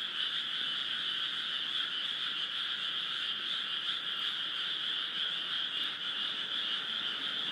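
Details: Many frogs calling together in 2015 at Esaka in Suita, Osaka, an office district: steady, unbroken massed trilling, high and buzzy, holding the same level from start to finish without pauses.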